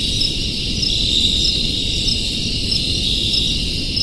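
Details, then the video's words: Many crickets calling together in a crowded chorus: a steady, shrill high trill with faint repeated chirps riding on top, over a constant low rumble of background noise. "Crickets Sounds"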